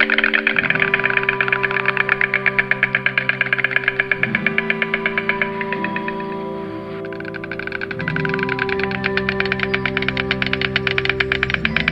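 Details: Synthesized music with steady sustained tones and a fast pulsing rhythm; no animal sound is heard.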